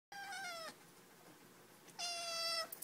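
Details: Male black Siamese kitten, eight weeks old, chatting about his new dog brother: two clear, drawn-out meows, each gently falling in pitch and about half a second long, separated by a quiet pause.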